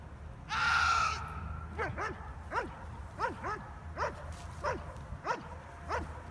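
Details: German Shepherd Stryder barking during an IPO1 protection routine at a trial. A loud shouted human command opens, then sharp barks follow roughly every two-thirds of a second, with low rumbling background noise.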